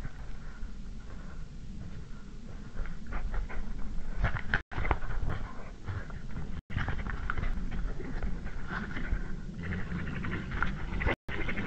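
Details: European badgers fighting over a sett in Estonia on an evening in March 2016, just after 8 pm: rough, broadband snarling and chattering bursts come in irregular clusters, louder after four seconds, over steady low rumbling background noise.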